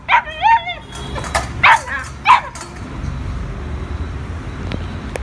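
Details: Puppy at play with owners cries in wavering, whining yelps, a long wobbling one first, then two or three shorter sharp cries, followed by quieter low background noise.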